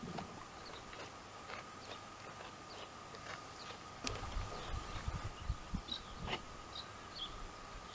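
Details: Calm cud-chewing by dromedaries Jamahl and Laila, the soft jaw strokes quickening to about two per second in the second half, a few faint bird chirps and a steady hum in the background.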